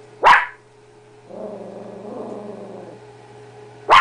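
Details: Blue heeler-chihuahua mix dog, female, reacting to her reflection: a single sharp bark, then a low, drawn-out growl for about two seconds, and another sharp bark at the end.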